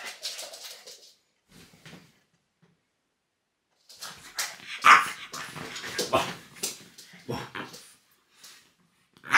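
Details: Loki, a pet French bulldog, goes crazy when fingers are pointed at him indoors; short bout of yelps, then a burst of rapid, harsh barks and grumbling yips over about five seconds, with a person teasing him.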